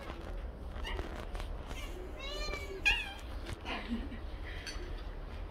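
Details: Siamese cats begging loudly for food indoors, the household that includes seal point Licko and lynx point Mićo and Lea. A short wavering meow sounds midway among clicks, light clatter and soft voices.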